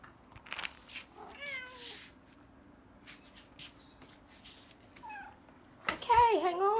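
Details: House cats, five of them at feeding time indoors in a home cat sanctuary, give short wavering meows, a few at first, then a louder, warbling meow at the end, amid rustling and a person's voice.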